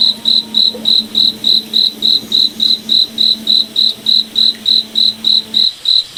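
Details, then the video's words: Moonlit forest at night with a cricket chirping in a regular high-pitched pulse, roughly three and a half chirps each second. A soft low steady hum lies beneath most of the clip and stops near the end. "Cricket Night Forest Ambience"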